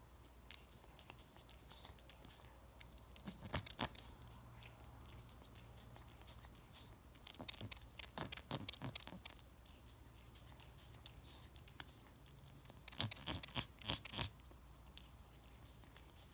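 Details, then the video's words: Cat grooming its own fur indoors, licking loudly: rapid, irregular runs of wet clicks and slurps in several bursts, densest around four, eight and thirteen seconds, with soft room hum between. "Cat makes loudest sounds licking self"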